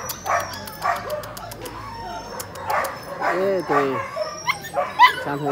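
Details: A litter of 30-day-old Labrador puppies at a rural dog market, brought in by an older man. Sharp yapping barks come in quick bursts, overlapping with people talking and a high whine running through the market background.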